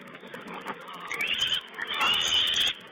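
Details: Young wild boar piglets filmed by a wild pig camera on 16 April 2010, giving a drawn-out shrill squeal in the second half after quieter low grunts and rustling.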